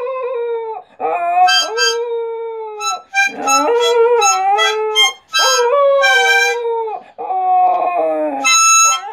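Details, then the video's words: A dog howls along to harmonica music: long wavering tones that slide up and down, broken by short pauses, under bright, steady harmonica notes. "Awesome Dog Singing"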